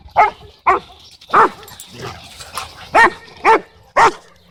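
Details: A Cane Corso in a dog park, trying to dominate and interrupted by Bodhi, gives loud, evenly spaced deep barks about twice a second, seven in quick succession with softer noises between.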